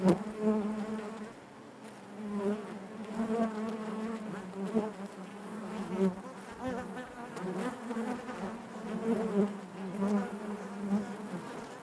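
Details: Continuous hum of many honey bees in their hive, layered harmonic buzz wavering in loudness with frequent small surges throughout.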